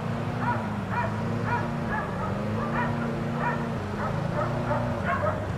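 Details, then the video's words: Distant barking from four dogs left outside all day next door: clipped single barks repeating roughly every half second to second, over a loud, steady low hum. "4 Dogs Barking Allday"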